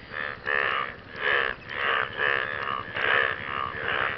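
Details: Frogs calling to their partners after rain: loud, nasal, harmonic croaks in overlapping bursts about every half second to one second, several callers alternating with slightly different pitches, over a steady low background hum.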